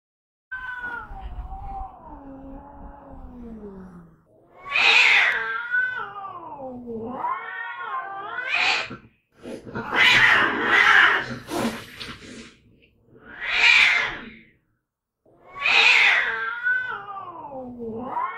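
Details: Two domestic cats fighting, loud long drawn-out yowls with wavering, falling pitch, rising into harsh screeching bursts, several rounds with short pauses between them.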